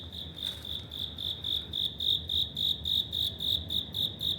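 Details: In an apartment corridor in Wada, Suginami ward, Tokyo, an autumn cricket sings loud, bright, high chirps in a regular pulse of roughly four per second, each rising and falling in strength, with a brief soft rustle near the start.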